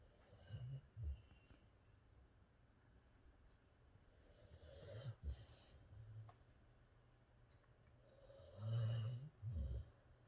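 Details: Boxer dog Rex asleep indoors and dreaming, giving low, soft snores and snorts in scattered bursts with quiet pauses between, two louder breaths near the end.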